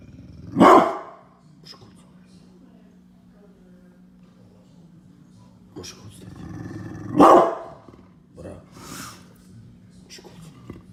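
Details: Angry Pit bull barking very loud: two harsh, forceful barks roughly six seconds apart, with faint scuffling and a few soft sounds between them over a low steady hum.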